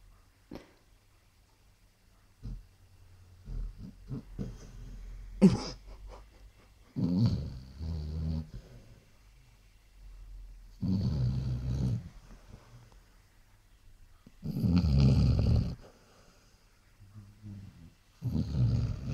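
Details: Sleeping Basset Hound indoors snoring: low rumbling breaths in irregular bursts about every three to four seconds, with faint soft sounds between and a sharp click early on.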